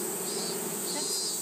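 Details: Japanese honey bee colony in summer 2012, kept for conservation while a box is added to enlarge the hive. A steady low buzzing hum of many bees, with a constant high insect chorus above.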